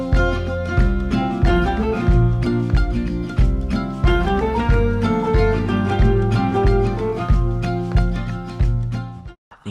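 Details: Steady strummed guitar music with a bass line fills the recording, with no animal sounds.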